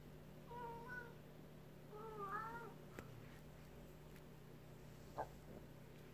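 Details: Pet cat indoors meowing on seeing a rabbit outside through a sliding door, wanting to go out to it; two drawn-out, wavering meows about a second apart, then a sharp knock and a brief squeak over a steady low hum.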